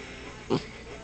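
A sleeping dog gives a single brief, muffled woof-like sound.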